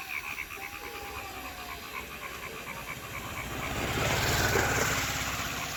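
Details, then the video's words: Frogs in Thakurgaon district giving rapid, evenly repeated pulsed notes, about four per second. A passing vehicle's roar swells over the calls in the second half. "Natural sound of a frog in Thakurgaon district"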